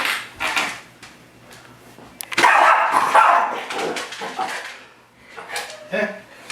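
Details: Miniature Schnauzer named Cadie attacking its own reflection in a mirror indoors, giving a burst of harsh barks mid-clip amid clattering household noise and a person talking.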